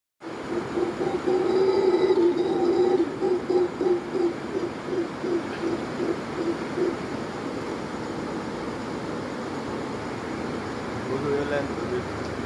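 A mantled howler monkey gives deep, throaty pulsing roars that settle into a steady rumbling drone.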